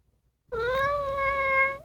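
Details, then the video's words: Female house cat being pampered by her owner gives a single long, drawn-out meow lasting over a second, steady in pitch, then lifting slightly at the close, indoors. "Dad makes her feel like a pampered baby, so she makes these sounds"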